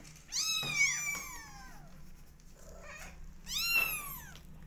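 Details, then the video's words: Kittens twenty days old meow loudly: a long drawn-out arched cry, a faint squeak, then a second strong harmonic meow near the end, in a quiet indoor room. "Meow Cat Family Is 20 Days Old Now Cutest And Loudest Cat Family"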